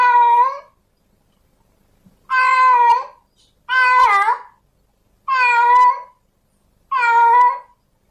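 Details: Tomcat in heat calling for a female cat, giving loud drawn-out meows spaced by pauses of about a second, one call wavering and bending in pitch, over an otherwise quiet background.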